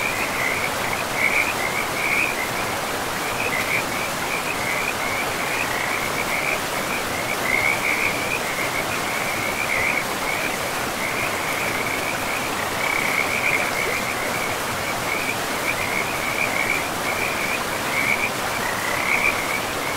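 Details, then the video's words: Frogs in a pristine forest by a river keep up a near-continuous chorus of rapid trilled notes at one steady pitch, swelling and easing, layered over a constant broad hiss of running water. "River and Frogs sleep sounds"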